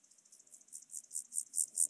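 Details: Chorthippus alticola grasshopper singing on Obir, Austria, on 30 July 2022: a short, high, buzzy series of pulses repeated about eight times, growing steadily louder toward the end.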